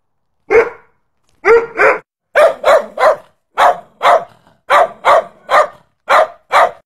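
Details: Protection-dog Bullmastiff barking repeatedly: loud, deep barks in pairs and quick runs, about a dozen over several seconds, with clean gaps between them.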